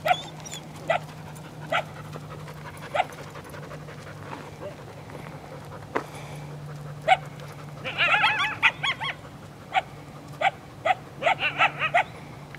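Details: Coyotes, two from a pack of five or six, calling near what seems to be their den to lure people away, captured handheld. Scattered faint clicks give way to a dense burst of quavering yips, then a run of short repeated yelps.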